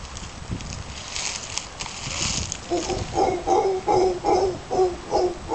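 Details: Howler monkeys near Casas Pelicano, Playa Junquillal, Costa Rica; after a stretch of rustling background, a series of short guttural grunts repeats roughly every half second, deep and throaty with layered tones.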